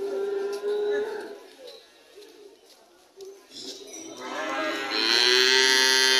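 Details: A cow's long moo rises and strengthens near the end after a quieter stretch with faint lowing, sounding hoarse and richly harmonic.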